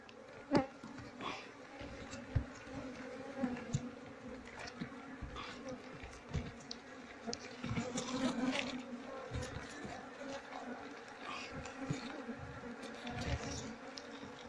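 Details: Asian honey bees from a colony without a queen, honey-filled combs being scraped off; steady low droning hum runs throughout, broken by frequent scraping clicks and taps from handling the hive.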